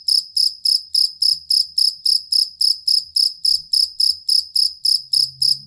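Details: Jangkrik kalung or jangkrik aduan cricket chirping for songbird training: a long, stable run of sharp, high trilled pulses about three and a half each second, with faint low thumps and a brief low hum near the end.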